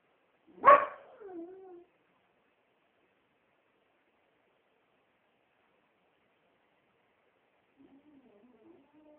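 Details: A female Beagle, howling, gives one sharp bark that slides into a brief, falling howl, then quiet.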